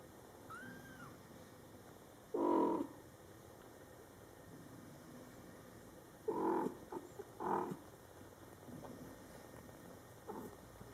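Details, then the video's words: Domestic cats at home: mother cat Coco with her Scottish Fold kittens, born July 22, 2012, in their first month. She talks to them. Three short, low, throaty meows are spaced a few seconds apart after a faint, thin, high mew early on, in a quiet room. "Mom Cat Talking to her Cute Meowing Kittens"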